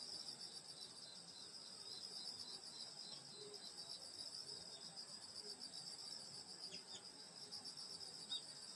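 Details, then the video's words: High insect chorus of a summer countryside night at a grandmother's home, steady and ringing, with a few faint low chirps and brief clicks now and then. "여름소리 풀벌레소리 시골밤소리"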